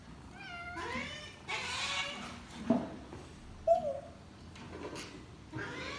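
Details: A hungry domestic cat meowing indoors: a drawn-out, rising-then-falling meow early on, a few short chirpy sounds in the middle, and another meow starting near the end, with soft background noise.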